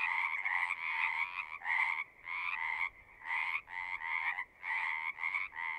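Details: At a pond in a horse pasture, frogs sing in bursts: pulsed trilling croaks arrive in clumps of about half a second to a second, separated by short quiet gaps, roughly seventy bursts a minute; recorded on a Zoom device.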